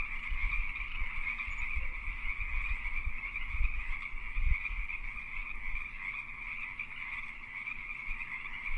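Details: A dense chorus of Pacific tree frogs in mating season, their raspy croaks blending into a steady trilling hum.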